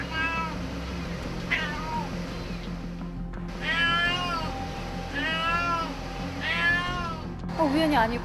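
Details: Domestic cat, later revealed to be a mother whose kitten is trapped in a pillar, crying from a house roof for several days while wandering as if searching: about five drawn-out, wavering meows over background music and low hum.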